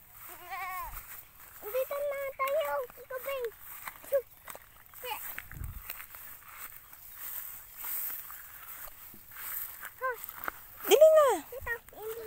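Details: Goat being given a drink, letting out wavering, quavering bleats, the loudest near the end, mixed with people talking and laughing nearby.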